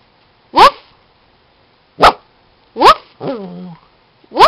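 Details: Maltese dog Charlie, being coaxed to give a high five, lets out four short, sharp yaps about a second apart, with a brief falling whine after the third bark; nothing else is audible.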